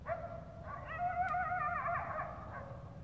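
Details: Eastern coyote in New Jersey answering a caller's howl during a hunt; a distant, wavering, quavering howl with several rising and falling tones, drawn out for about three seconds over faint background hiss.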